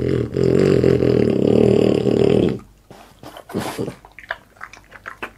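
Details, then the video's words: Boss the French Bulldog feeds indoors for an ASMR mukbang. A loud, steady, buzzy low snorting grumble runs for over two seconds, then stops abruptly, leaving quieter crisp crunching and smacking bites. "ASMR MUKBANG BOSS FRENCH BULLDOG EATING"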